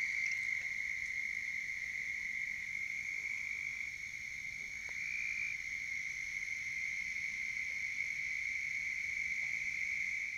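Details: Toads (genus Bufo) on a pond bank give a steady, high musical trill running unbroken on a warm spring night, 29 April 2021, Richland County, South Carolina.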